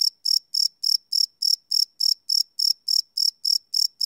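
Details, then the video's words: Chirping crickets at night, taken live with a Sony PCM D100 field recorder, no loops: crisp, high-pitched pulses in a very regular beat of about three to four each second, alone in silence. "Cricket Chirp Sound - Cricket Sounds at Night"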